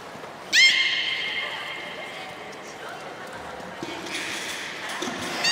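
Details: Captive beluga whale at Port of Nagoya Public Aquarium on 3 February 2019, during feeding and post-feeding play: one loud abrupt rising whistle with rich harmonics, then a long steady tone fading into hiss and faint squeaks.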